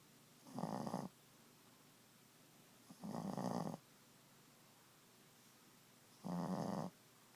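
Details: Ziggie, a Boston Terrier, snoring at nap time indoors: three harsh, rasping snores, each about half a second long, spaced roughly two to three seconds apart, with quiet breathing pauses between.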